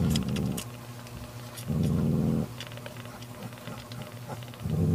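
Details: Angry mother cat Mocha drives off her sister Kofi, who wants to take the kitten, with three low, throaty growls, each about a second long, separated by quieter pauses and light scuffling clicks.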